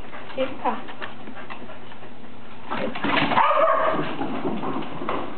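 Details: One of two corgis fetching an orange ball gives short whining yips, with a person's voice calling nearby.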